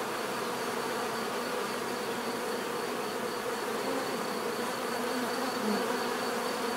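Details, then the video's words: Bees giving a constant natural buzz, a full layered drone of many wings with small wavering swells, steady and uninterrupted across the whole stretch. "bees therapy relaxing natural buzzing sound"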